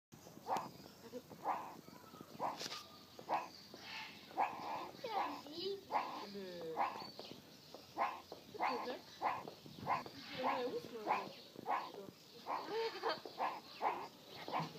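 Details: A meerkat at Jaderberg Zoo at Easter 2013 gives short, rough barking chirps in a quick, steady series, with a few softer whining notes between.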